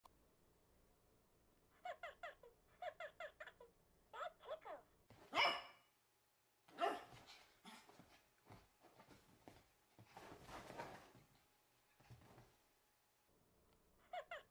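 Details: Papillon dog barking, scared by a Tickle Me Elmo toy; a few loud, sharp, harsh barks near five and seven seconds, then a rougher burst, mixed with bursts of the toy's repeated voiced chatter and some human speech.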